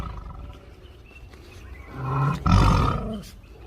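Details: Tiger, described as angry, lets out a deep, gruff roar that swells after two seconds into a loud rumbling burst lasting about a second, preceded by quieter low background rumble.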